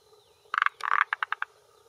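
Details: Japanese forest green tree frog, a male calling from a hillside pond shore in early June 2021 at late afternoon, vocal sac swelling, claiming territory and courting females; a rapid stuttering burst of knocking notes, then four evenly spaced clucks trailing off.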